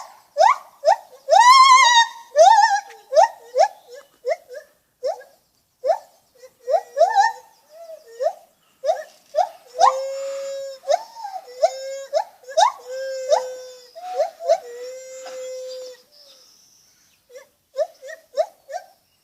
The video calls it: Lar gibbon making funny noises